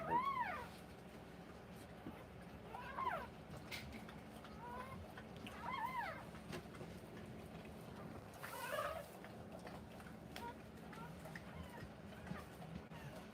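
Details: Newborn Rottweiler puppies during a live birth indoors: thin, squeaky whines that arch up and fall, four or five spaced over several seconds above a steady low hum, with faint rustling between.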